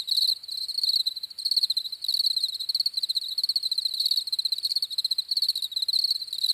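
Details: Several crickets chirp together in fast, high-pitched pulsed trills that run without pause, the chorus pulsing gently in loudness, with no other animals or background noise.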